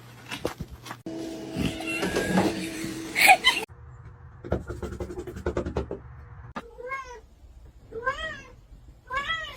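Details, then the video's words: Kitten meowing at the end of the recording: three clear arched, mid-pitched meows about a second apart. They follow several seconds of clattering, knocking and mixed household noise. "kitten meowing call"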